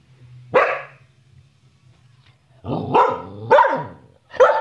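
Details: Samoyed named Bonnie barking while talking and playing: one sharp bark, a pause, then three quick, loud barks, the later ones sliding up then down in pitch like short yelps, over a faint low hum.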